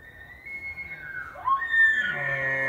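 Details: Bull elk bugling during the September rut in Yellowstone National Park: a long, high, whistled tone sliding downward, then a sharp upward sweep into a harsh, strained squeal with a deep grunting undertone.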